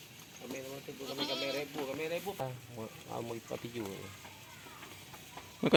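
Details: Goats on a farm during play and feeding, giving a run of strongly vibrating, nasal bleats one after another in the first four seconds, then quieter rustling and a loud clatter at the close.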